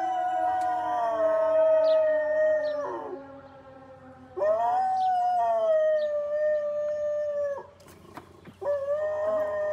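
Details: Dog howling in three drawn-out tonal phrases of several seconds each, each slowly sinking in pitch, separated by short pauses.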